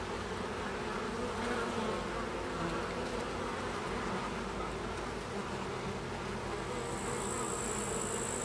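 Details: Carniolan honey bees (Apis mellifera carnica) making a constant low, rough buzzing hum that wavers slightly in loudness, a faint high whine entering near the end.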